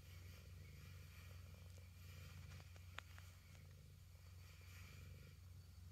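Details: Domestic cat purring at close range, a steady low rumbling throb that pulses rapidly and continuously, with a faint click near the middle and a soft hiss of room noise above.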